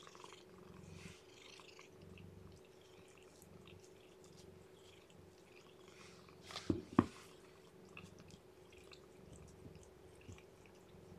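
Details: Indoor cat purr while a weak newborn kitten whose weight has dropped is being fed and kept warm. A quiet, rhythmic rumble fades after about three seconds, then comes a sharp double click and faint handling sounds.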